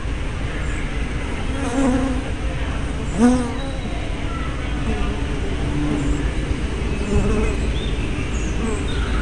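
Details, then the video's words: Hive entrance bees recorded 24 May 2012 by a spy cam with a 180-degree fisheye lens; a constant swarm drone, with several louder passing buzzes whose pitch swoops, one strong fly-by near the middle. "Bee Hives - Entrance Observation"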